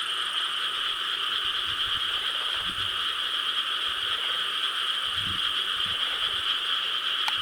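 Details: Frogs calling in Korean rice paddies on the night of 4 July 2013, a dense, steady chorus forming a continuous droning hum with faint low rustles underneath.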